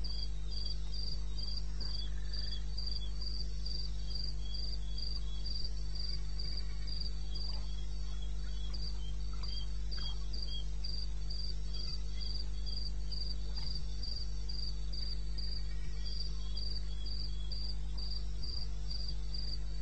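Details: Chirping of a cricket at 2:30 a.m., 21 May 16, in wild eastern Botswana: a steady train of shrill, evenly spaced pulses, about three per second, above an unbroken low hum.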